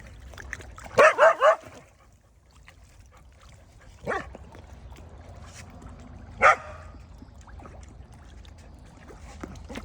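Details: Village dog calling fish over to feed with barks: three rapid, ringing barks close together, then two separate single barks spaced a couple of seconds apart over a low steady background hum.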